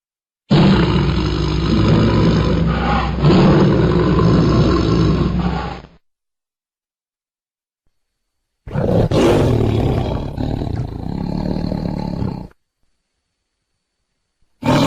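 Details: Tiger roaring in two long bouts: a deep, harsh, sustained roar of about five seconds that pulses slightly, a few seconds of silence, then a second gravelly roar of roughly four seconds.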